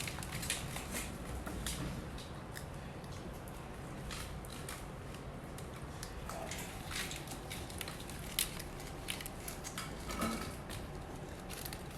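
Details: Repeated crisp clicks and crunching noises over a low indoor background, with no animal vocalisation.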